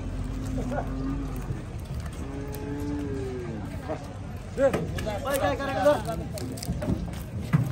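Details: Several low, even moos from cattle being unloaded at a Bangladeshi cattle market in Gabtoli, each lasting about a second, under constant crowd chatter and a rumble of traffic.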